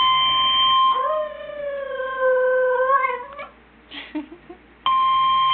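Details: Dog howling at a fire truck siren: one long, wavering, slightly falling howl of about two and a half seconds, ending in short broken yelps. A steady, flat electronic tone sounds before and after.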